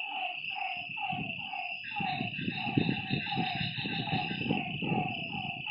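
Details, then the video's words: Frogs heard at night by a lake: a short burst of repeated falling, nasal notes over a high insect whine, partly masked by rumbling low-pitched noise through the middle. "Lakeside night creatures and frog sounds"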